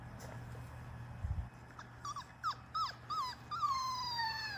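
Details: Labrador Retriever puppies, five weeks old, one of a litter of six taking a first dip in a water-filled baby pool. Short bending whimpers come in quick succession, ending in a long, high whine that slides steadily downward.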